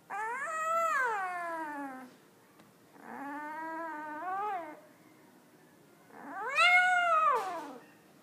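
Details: One-week-old puppy vocalizing indoors; three long harmonic whining cries, each arching up then sliding down, about two seconds apiece with short pauses between, in a quiet room.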